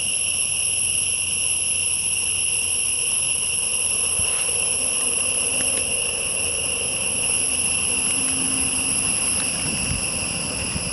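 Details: Constant high, ringing insect drone from a forest with tall trees, several steady shrill layers held without a break, with a few faint clicks and low rumbles beneath.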